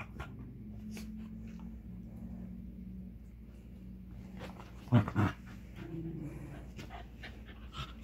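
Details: A Westie puppy and a cairn terrier at play: steady low rumbling growls with panting, broken by two short loud yelps or barks in close succession, then softer growling resumes.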